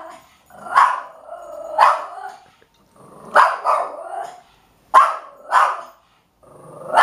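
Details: House dog barking in spaced doubles, each bark joined by a lower drawn-out whine or growl, roughly six barks over seven seconds with quiet breaks.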